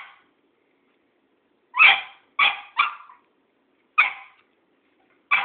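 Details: Cairn Terrier confronting an old tomcat, giving sharp, high yappy barks: one faint bark at the start, then a quick pair, a single bark and another after a pause. Otherwise quiet.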